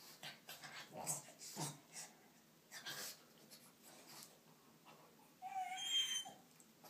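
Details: Pet dogs at play, a pug named Olly trying to get a Staffordshire bull terrier named Leyla to play: a run of short breathy snorts and wheezes, then a thin high whine near the end.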